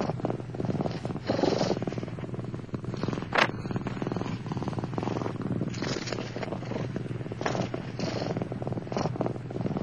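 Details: Seven Turkish Van kittens, born 4 November 2009, packed tightly in a nest, purring continuously in a deep, even rumble; brief rustles and one sharp click break in near the middle.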